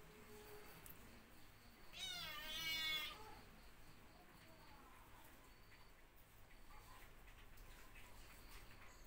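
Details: Cats suckling milk from a dog give a single loud, drawn-out meow lasting about a second, rich in stacked harmonics with a wavering pitch, set against a quiet steady low hum; a brief human voice follows.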